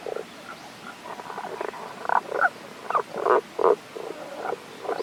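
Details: Unseen Tago's brown frog at a stream in the Kanto region, Japan, recorded 1 April 2021: soft, irregularly spaced grunting croaks, some clipped and some slightly drawn out, building in loudness toward the middle, with steady faint background hiss.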